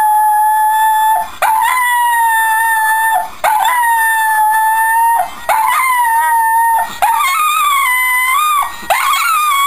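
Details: Pet Shetland Sheepdog Buddy howling to the Coronation Street credits music: five sustained, clear howls separated by short breaths roughly every two seconds, fairly level at first, then wavering and bending up and down in the final phrases.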